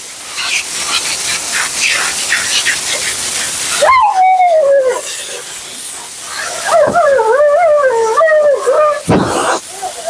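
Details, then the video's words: Mila the Siberian Husky at her second-ever groom, coat shedding in a blowout: several seconds of loud blower hiss, then a sliding wail followed by long, wobbling, up-and-down moaning howls. "Talking Husky FURNADO Bath and Blowout."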